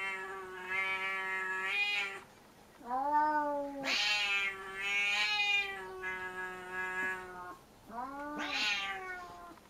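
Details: Cat named Puchi, furious at being disturbed while playing and glaring hard at Kuma, gives long drawn-out harmonic yowls and moaning growls in several phrases across ten seconds, with sharper upswept cries near the third and ninth seconds.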